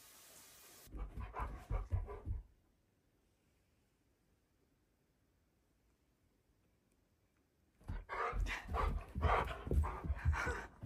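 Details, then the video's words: Pet Siberian husky shouting at its owner indoors: two bursts of rough, moaning, talk-like howls, each a string of pulsing syllables lasting over a second, separated by a long quiet pause; a woman's voice responds afterwards. "My Husky Shouts At Me"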